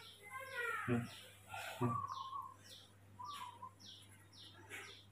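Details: Baby monkey Mobi, hand-raised and fussing after waking in the morning, gives a high, wavering whimpering squeal that slides downward, followed by a thinner tonal whine, with short high chirps and a man's voice nearby.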